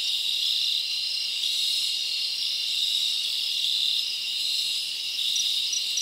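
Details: Forest crickets on a summer night form a constant piercing chorus, with a faint rhythmic pulse and a slight rise and fall in intensity over a few seconds.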